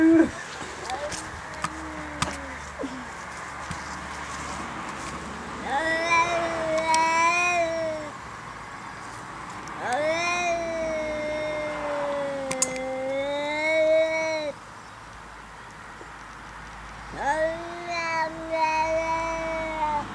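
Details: Pet cat making weird, funny noises: three long, wavering, drawn-out meows, each a couple of seconds, dipping and rising in pitch, with short chirps and clicks early on and light background noise.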